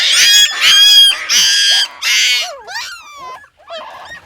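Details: Puppy crying, one of a litter of six: four loud, harsh, screeching wails close together, then thinner sliding whines and a final short rough squeal.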